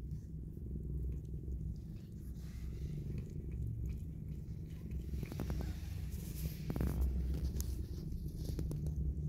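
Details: Low, continuous purring from a mother cat cuddling her newborn kittens, a deep rumbling drone with faint clicks and rustles layered over it midway.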